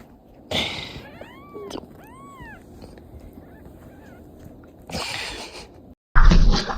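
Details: Pet cats having night-time zoomies at 2 in the morning; a few short arched meows near the start, each curving up then down, between bursts of loud rustling and thumping noise, with a person shouting.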